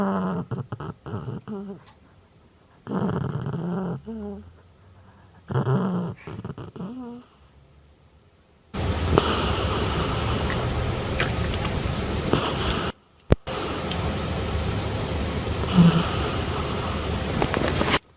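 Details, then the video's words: Pet dog making funny growling noises indoors: a few short, rough low growls with whiny rising tails in the first seconds, followed by a long stretch of steady broadband rustling or hissing noise. "My Dog Making Funny Growling Noises"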